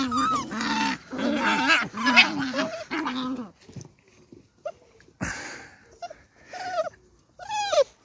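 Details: Playful beagle puppies in an outdoor enclosure give three seconds of dense whining and growling, then scattered short high yelps and squeals separated by quiet gaps.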